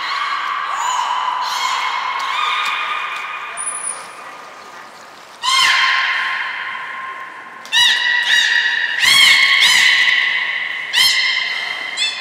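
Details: Captive belugas Hodoi, Taanya and Mirai at Port of Nagoya Public Aquarium on 14 March 2021, moving pools and training, give long nasal harmonic tones, then creaky pulsed bursts and rapid clicky stutters, with a short high whistle in between.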